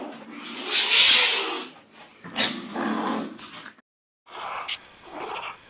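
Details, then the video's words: A rare type of cat giving harsh, breathy, noisy hiss-like bursts, two long ones followed by a short pause and a quieter scratchy sound, recorded indoors. "Some rare cats and their funny sound"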